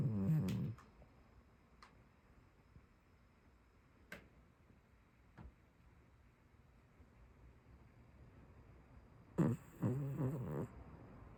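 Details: Sleeping tabby domestic cat snoring: a low, rattling burst at the start and another near the end, with near-silence and a few faint clicks between.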